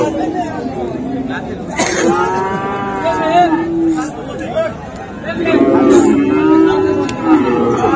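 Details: Market moos from Friesian and crossbred bull calves at the Raniganj haat in Dinajpur, Bangladesh, on 7 November 2024: two long, rich bellows a few seconds apart, the second lower and fuller, with faint crowd noise behind.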